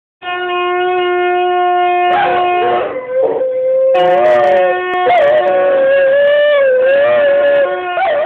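A Great Dane howls in long, sustained, wavering tones, sounding almost like a held musical note.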